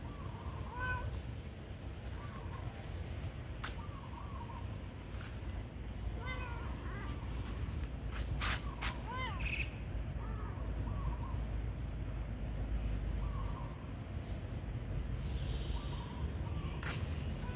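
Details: Hungry cats at a pagoda, friends JoJo, JeJe and Jenny, give several short arched meows, a pair of clearer rising-falling cries near the middle, over steady low background rumble with a person calling their names.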